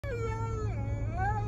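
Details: Husky yelling dramatically in a car on the way to the groomer: one long, wavering, howl-like tone that dips, then climbs again near the end, over a steady low engine rumble.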